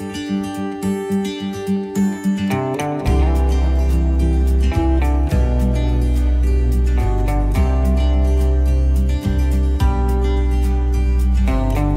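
Only music is heard, a strummed guitar with a deep steady bass and no animal calls.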